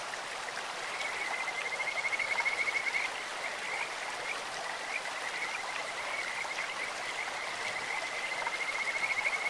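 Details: Kajika frogs croaking along a clear stream with a bird-like voice: rapid high trills in repeated bouts at a fixed pitch, rising and fading, over steady rushing water noise.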